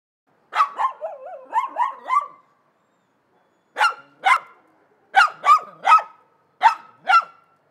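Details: Several dogs barking, sharp mid-pitched barks, with a quick run of five or six yelps in the first two seconds, then paired barks at about four, five and a half and seven seconds; otherwise quiet between bursts.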